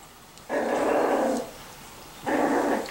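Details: Young Miniature Schnauzers of the Custards and Puddings litters, aged 4 and 6 weeks: two sustained growling whines, the first close to a second long, the second shorter after a pause, in a quiet room.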